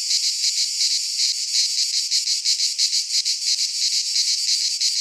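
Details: Cicadas singing in midsummer in a Greek pine forest: a dense, continuous high-pitched buzzing chorus with a fast pulsing throb, roughly three pulses a second, and nothing else audible.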